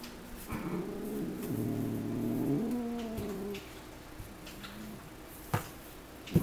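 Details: House cat George growling indoors while another cat, Mika, plays with his tail as he sits at a window; a low, drawn-out rumbling growl lasting about three seconds, then a short softer growl and a few faint clicks.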